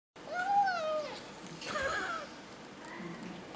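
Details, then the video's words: Kitten making snuggle noises while eating: two drawn-out, wavering whines that dip at their ends, then softer low murmurs, with a woman speaking Thai in the background. "He makes snuggle noises when he eats."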